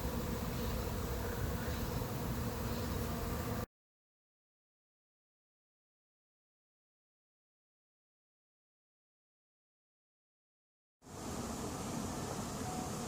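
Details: Honey bees of a late-season swarm entering an empty hive not yet prepared for them: a dense low hum at the start and end, broken by several seconds of complete silence in the middle.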